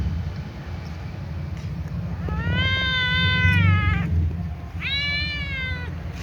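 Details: A little ginger cat gives two drawn-out, harmonically rich meows while watching other cats. The first is long and level, the second is shorter and slides downward, over a low continuous rumble.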